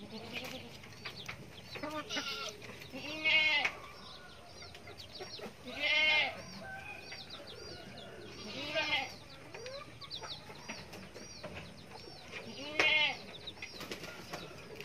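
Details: Goat kid bleating: wavering, arched, harmonic cries repeated at irregular intervals of roughly three seconds, four loud ones in all, with softer background bleats, some chicken-like clucks and faint voices between them.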